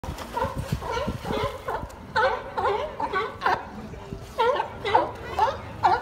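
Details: Sea lions barking in quick harsh bursts, several calls overlapping at a rapid uneven pace, with people talking and laughing nearby.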